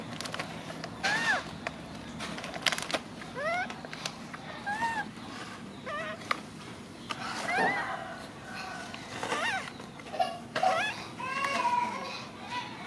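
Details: Macaque crying while hugging his favourite food package: a run of high, arched, harmonic wails that rise then fall, spaced every second or two, over steady low background hum and scattered clicks.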